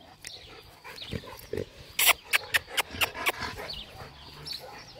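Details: Glen, a male Labrador Retriever, chasing his ball: a run of sharp, breathy bursts comes about four per second for over a second mid-clip, framed by softer snuffling and huffing breaths.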